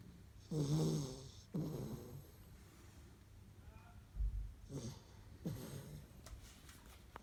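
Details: Labrador Retriever puppies of the Kloster Marienthal kennel asleep, giving rough, throaty snores and snorts in uneven bursts, one loud rasp followed by softer wheezy breaths and a brief thump, otherwise quiet indoors.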